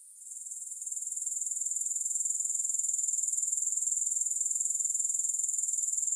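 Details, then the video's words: Grasshoppers with no music behind them, their thin high-pitched pulsing buzz swelling from quiet over the first second, then holding steady and rhythmic. "3 Hours of Grass Hopper Sounds to help you Sleep, Focus & Relax."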